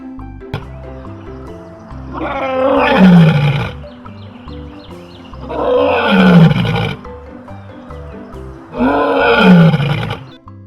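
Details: Lion, whose roar is said to carry up to 9 km; three loud, deep roars, each starting hoarse and sliding down into a low groan, come roughly every three and a half seconds, with music playing underneath.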